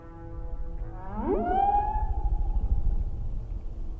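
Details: Humpback whales recorded in 1979, provided by Ocean Alliance: a steep rising upsweep with stacked harmonics levels into a long, steady, held moan, over a continuous low pulsing rumble.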